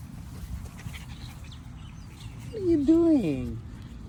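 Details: Puppy Luke at a dog park for the first time in September 2022, meeting another dog and learning to catch a frisbee. A short, high, wavering whine rises and then slides down over about a second near the end, over low outdoor rumble.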